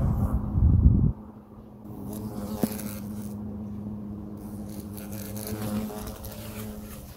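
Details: European hornets at their nest, observed up close by a person wearing protection: a steady low droning hum with faint overtones runs throughout, after a loud rustling thump at the start.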